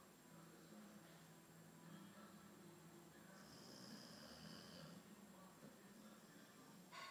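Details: An albino Boxer named Theo snoring indoors: low, rough breathing rumbles in a steady rhythm, with faint background noise in a small room.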